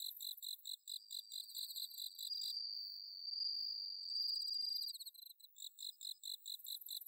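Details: Autumn night chorus of bell crickets from paddy fields at Inba-numa, Chiba, Japan. Quick, high, bell-like pulses repeat steadily, with a sustained piercing trill in the middle seconds from another insect.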